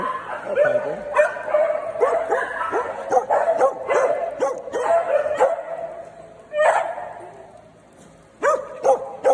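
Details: A Saturday morning daycare group of small dogs barks almost continuously: dense, overlapping yappy barks, then a short lull and a few final sharp yips.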